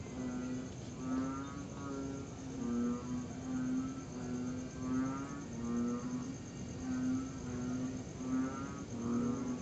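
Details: Tree frogs call at night in September during a pause in long, steady rain, with low, hollow, hooting tonal notes about once a second from several overlapping callers, over a thin, continuous high-pitched buzz of crickets.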